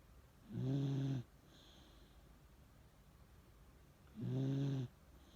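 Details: Asleep with an old-man look on his face, the Miniature Dachshund Chage gives two deep, buzzing snores about three and a half seconds apart, each around half a second long, over a hushed indoor background.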